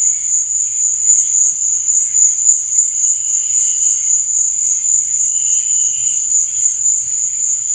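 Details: At night, crickets keep up an unbroken piercing trill throbbing about four times a second, with quieter intermittent chirps underneath.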